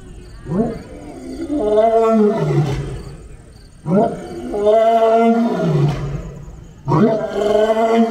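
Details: A lion, meeting another lion, roars in deep, drawn-out bursts about every three seconds.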